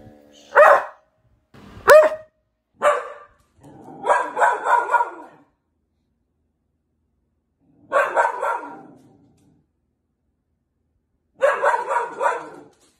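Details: Border Collie barking: several short sharp barks, then longer rough, rapid bark bursts at intervals of a few seconds.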